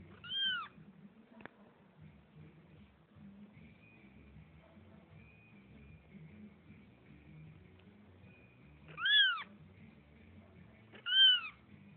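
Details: Pet cats meowing three times, well spaced: short bright arched calls near the start and twice close together at the end, with a faint steady whine and low background hum between them.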